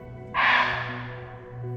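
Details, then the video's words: A barking deer in Jim Corbett forest gives one sudden, harsh alarm bark over a low engine hum, likely raised at a tiger just passing, though no tiger was seen. "और यहाँ अचानक से एक बार्किंग डियर की अलार्म कॉल चालू हो गई।"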